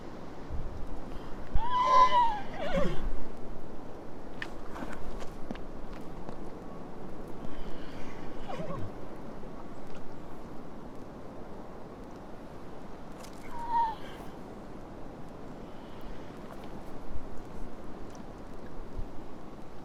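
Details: A horse calls with a quavering whinny early on and a brief one later, separated by long stretches of low rumbling noise with faint scattered knocks.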